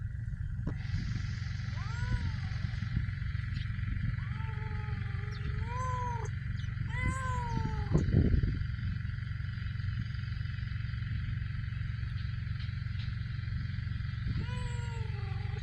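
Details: Stray cats living homeless in Ras Al Khaimah, United Arab Emirates: repeated drawn-out meows, each rising then falling, in a cluster of three and a final one after a long pause. A heavy low mechanical hum underlies everything, with a brief thump midway.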